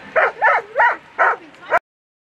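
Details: During a world championship agility run, a German Shepherd dog barks five times in rapid succession, each bark short and clipped, spaced roughly a third of a second apart, then abrupt silence.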